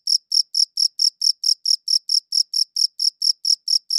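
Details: Crickets chirping, recorded with a good audio recorder: sixteen or so sharp, shrill chirps in a regular rhythm near four a second, bright and piercing, with a silent, noise-free background.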